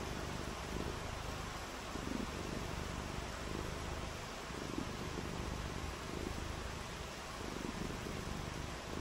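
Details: Rainy-day purring from a domestic cat: a deep, unbroken rumble with gentle rhythmic swells, set against constant hissing noise.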